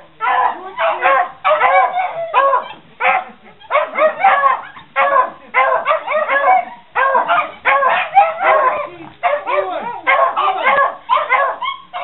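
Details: Beagle together with Puggles responding to "Who wants cheese?": a steady chorus of rough barks and howling yips, bursts packed closely and overlapping, continuing without pause for twelve seconds.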